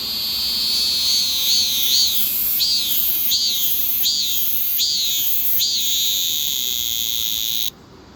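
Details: Cicada crying: a loud, shrill high buzz swelling into rhythmic rising-and-falling pulses about every 0.7 seconds, cutting off abruptly near the end.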